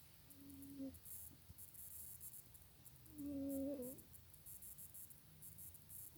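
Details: Sleeping cat Janet snores with steady, thin whistled breaths, a brief one early and a louder, longer drawn whistle around three seconds, against low room hum and faint high-pitched chirring.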